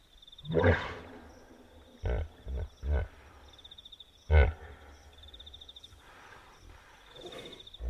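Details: Wild hippopotamus at night by a river in the African bush, Kafue National Park, Zambia: loud, deep grunting bursts at irregular intervals, a few seconds apart, over a steady chirping insect chorus.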